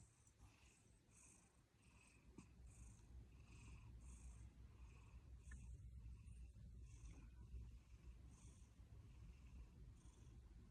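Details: Domestic cat purring or snoring beside its owner during an afternoon nap, showing affection, with scratching in between; a soft, low, continuous rumble with faint scratchy bursts above it, quiet throughout.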